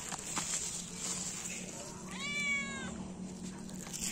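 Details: Feral cat at a morning feeding of three cats and a kitten; a single drawn-out harmonic meow, wavering slightly, against constant background hiss and hum.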